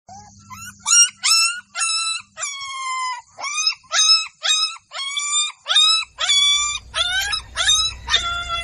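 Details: Golden Labrador puppies in a village give high, rising-then-falling yelps with bright harmonics, about two per second in a steady series; a faint low hum at the start and a low rumble near the end.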